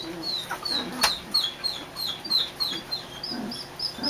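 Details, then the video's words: Litter of three-week-old puppies in a dog show trailer giving rapid, high-pitched falling whimpers in quick succession, along with a few low grunts, a sharp knock and a steady high whine in the background. "puppys 3 weeks old in dog show trailer"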